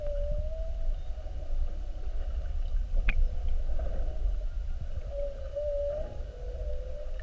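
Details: Whales staying an hour beside a whale-watch boat on 21 February 2019, spy-hopping in a classic mugging, heard underwater: long, level-to-wavering moans at the start and end, a single sharp click mid-clip, dense low rumble throughout.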